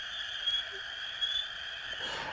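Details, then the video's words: Frogs calling loudly in the background of trail camera recordings made in the morning and the previous night: a dense, steady chorus of sustained high tones with no pauses, overlapping throughout. "You can hear the frogs in the background there."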